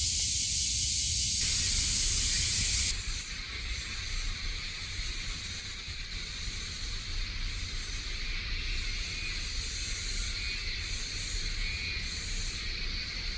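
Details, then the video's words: Cicadas heard in summer at Kasai Rinkai Park, Tokyo: a loud harsh shrilling at first, then a softer sustained buzzing with faint regular pulsing, over low background rumble. "매미소리에 이끌려- / せみの声に引かれて-"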